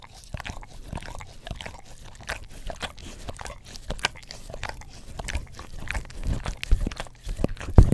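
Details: English Cream Golden Retriever, a household dog, working its tongue over an Orapup tongue cleaner brush close to a Blue Yeti microphone; sparse, soft slurping licks about once a second, growing louder and wetter toward the end.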